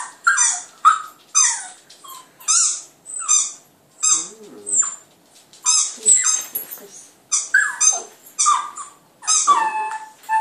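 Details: Border Terrier pup Clyde howls at a computer, giving a rapid series of short, sharp, high-pitched yelps and squeals, roughly one every second, with a few lower wavering notes mixed in.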